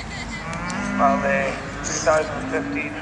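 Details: At the South Inch Park agricultural show in Perth, Scotland, Charolais cattle give a steady low moo under busy background noise with clatter and voices.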